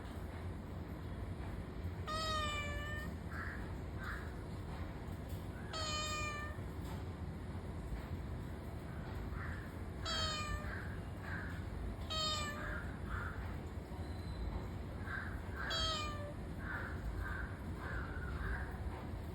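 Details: Cat meowing: five clear, bright meows with a falling tail, spread across the recording, plus several fainter softer mews between them, all over a constant deep rumbling background noise.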